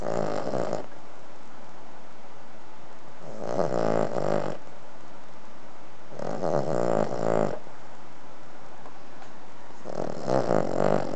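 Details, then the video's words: A ruby-coated Cavalier King Charles Spaniel, three and a half years old, snores often; here she snores in her sleep in slow, rasping breaths roughly every three seconds. "Ruby Cavalier King Charles Spaniel Snoring Zzz"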